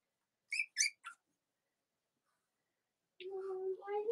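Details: Cavalier King Charles Spaniel puppies of mothers Robin and Myra, on a chilly Monday morning near Halloween in the US: three quick, high-pitched squeaks, then after a silent pause a lower, longer voiced tone.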